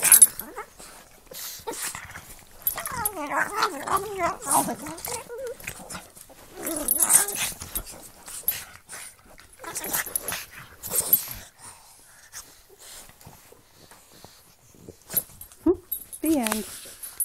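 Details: Play-fighting between a Pug and a Boston Terrier, mouths locked in mock battle: wavering whiny growls and grumbles come in uneven bursts, separated by quieter scuffling, ending with a rising whimper.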